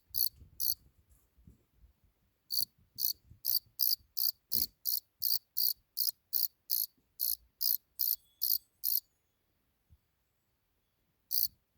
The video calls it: cricket chirping